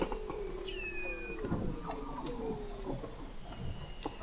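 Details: Weddell seals under the sea ice at McMurdo Sound, Antarctica, November 2017, from an installation 21 m below the ice; a high steady whistle after a quick upsweep, with lower pulsed tones and drawn-out trills from other seals.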